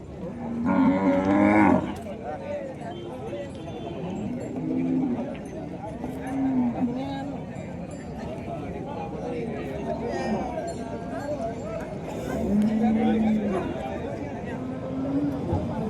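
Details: Gaolao cattle, a desi cow herd from Wardha in Vidarbha, lowing: one loud moo near the start, then several softer low moos spread through the clip amid a busy background of voices and farmyard noise.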